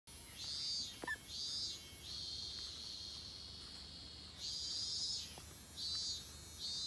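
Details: Min-min cicadas (Hyalessa maculaticollis) in summer give high, shrill buzzing that swells and pulses in about one-second bursts over a steady drone, with a couple of faint clicks; a busy call duck is nearby.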